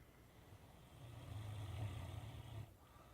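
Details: A 10-month-old Great Dane puppy snores with a deep, rattling rumble that swells and then fades.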